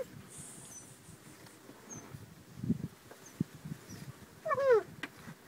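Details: Leonberger puppies, eight weeks old, in their last week at home; soft rustling and shuffling give way to one short, falling, whiny cry near the end, with faint thin high chirps in the background.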